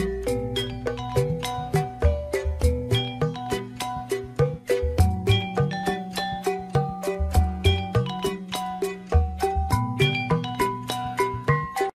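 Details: Bright children's tune played on chiming xylophone-like tones over a bouncing bass line, with a steady quick beat and no animal voices.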